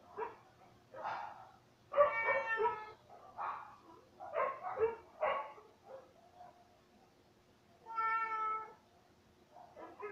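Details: Pet cat meowing repeatedly indoors: a run of short, chirpy and broken meows in quick succession, then a pause before one longer, clear, harmonic meow near the end, followed by a brief softer call.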